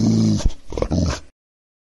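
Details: Dog growling and barking: a low rumbling growl for about half a second, then two short harsh barks, then another low growl, all within just over a second, followed by silence.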